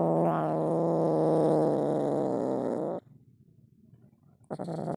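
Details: Siamese kitten, angry and demanding to be let out of its cage, gives a steady rumbling growl lasting about three seconds, falls silent, then starts another growl in the last half second.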